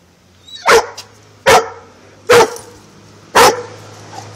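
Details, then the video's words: German Shorthaired Pointer cornering a cat, recorded on a phone: four loud, sharp single barks spaced roughly a second apart, each a short explosive burst, with a low steady hum underneath. "German Shorthair Pointer corners Cat"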